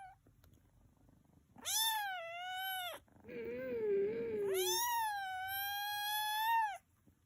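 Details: Tuxedo cat giving two long, drawn-out meows, each held over a second, the second one longer and wavering, separated by a lower, throaty murmur, in a quiet room.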